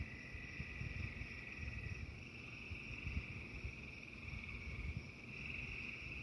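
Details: Frogs singing during a thunderstorm: a steady, dense trilling chorus holds one even pitch throughout, half buried under heavy low rumbling storm noise that swells and fades.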